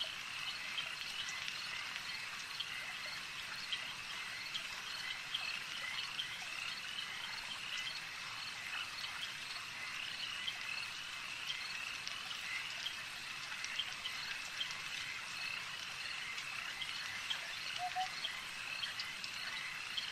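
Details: Frogs at a lake form a dense, steady high-pitched chorus of trilling and buzzing, with a single short low croak near the end, over a soft constant background hum.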